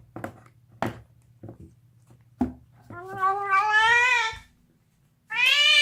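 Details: Bone-gnawing deaf house cat: sharp crunching clicks of chewing, then a long rising, strained scream that grows harsher, a brief silence, and the start of another loud yowl; low steady hum underneath.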